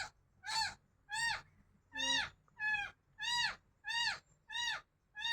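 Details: A cat cries in a fast, steady series of about eight high, rising-then-falling meows, roughly one every two-thirds of a second, over soft low background noise.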